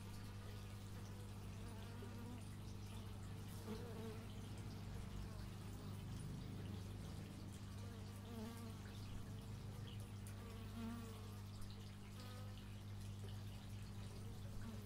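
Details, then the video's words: Bees recorded in stereo with an x/y microphone, wavering buzzing tones drifting up and down throughout as insects fly close by, over a steady low drone in the background. "Bee movie but its just bees"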